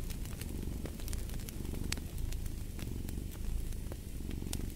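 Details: Cat purring in a steady low rumble, with sharp crackles and pops from a fireplace scattered throughout.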